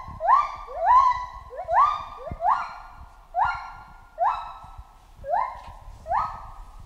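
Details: Chimpanzee calling in a jungle: a steady series of about ten harmonic cries, roughly one every seven-tenths of a second. Each sweeps up sharply and then slides slowly downward.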